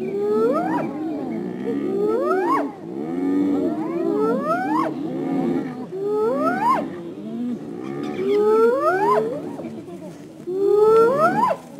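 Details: Spotted hyena in the wild in Africa calling the rest of its clan: a series of rising whoops, each sweeping upward from low to high pitch, repeated about every two seconds, with fainter overlapping lower calls between them.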